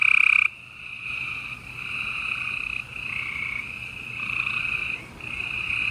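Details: In a Houston, Texas spring night chorus on April 28, 2020, gray treefrogs give a loud trill that cuts off. Softer overlapping buzzy trills then continue almost without a break.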